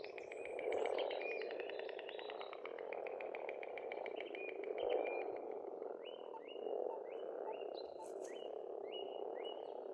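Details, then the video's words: Pond frogs in Estonia croak in a steady low spring chorus, while a bird adds a rapid repeated trill and then a series of short upslurred whistles above it. "Расслабляющее пение птиц и лягушек"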